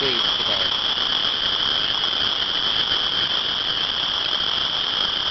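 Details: On March 15, 2012, in unseasonably hot early-spring weather, a field overrun by frogs gives a deafening, shrill chorus of high peeping notes blending into one ear-piercing wall of sound; some birds in the background.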